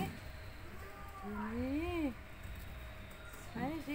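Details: Kelvin, a handsome one-eyed cat, is being called down indoors and answers with a long drawn-out meow that climbs and then drops, followed by the start of a second short meow; low room hum behind.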